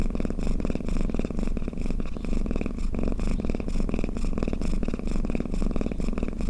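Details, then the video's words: Close-up snoring of a domestic cat, a low buzzing rumble that swells and eases about twice per second, steady throughout, indoors. "เสียงแมวคราง เสียงกรนของแมว | snoring cat"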